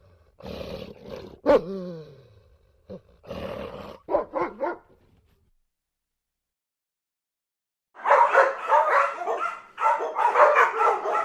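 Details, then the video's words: A dog gives scattered short barks and yelps with a sharp rising-falling yelp early on, then a pause of about three seconds before a dense run of rapid, harsh barking. "What sounds does a dog make?"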